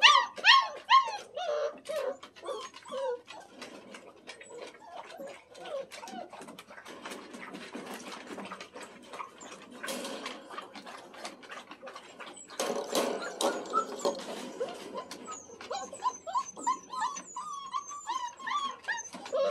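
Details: Freshly bathed Standard Poodle puppies, male littermates, first time out of the whelping box and outdoors in a play pen. Sliding high whimpers and yips come in bursts at the start and end, with busy scrabbling noise in between.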